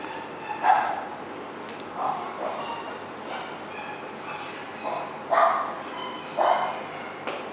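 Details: Male white Bichon Frise born 20 May 2016 at a pet shop barks: short, sharp yaps come singly or in pairs, spaced roughly a second or more apart, over a steady background hiss.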